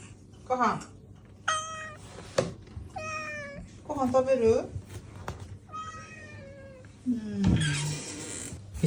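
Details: House cat chatting back to its owner around mealtime indoors: a string of six or so drawn-out, wavering meows spaced about a second apart, some rising and falling, mixed with the owner's speech and soft taps.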